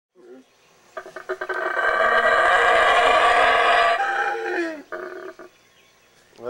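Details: Wild black howler monkeys at the Baboon Sanctuary in Belize, several close by: a rough, broad roar swells after short grunts and holds for about two seconds, then breaks into shorter grunting bursts.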